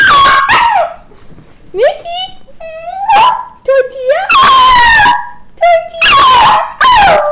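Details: A pet dog howls each time its owner says "tortilla". Short, rising, wavering howls alternate with loud spoken words, with brief quiet gaps between exchanges.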